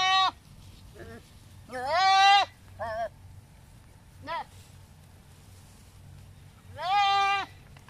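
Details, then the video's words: Philippine native goats, male and female, readied for breeding and showing mating behaviour; a long loud quavering bleat, short broken bleats, then another long wavering bleat after a pause, with a low background hum. "Philippine Native Goats Ready for Breeding"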